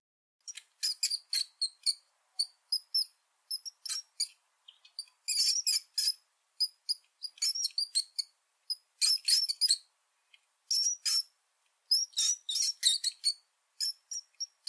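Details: Rat. A rat gives thin, piercing squeaks, each short and very high, coming in uneven bursts. Some run together into quick chattering strings, with brief silences between the groups.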